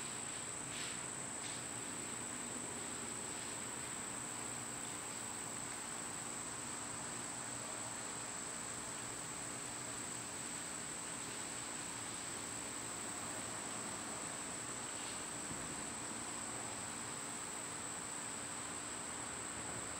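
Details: Summer cicada chorus, captured when the insects were least loud, forms a constant shrill whine that never pauses, with a couple of brief soft calls near the start over a quiet outdoor background.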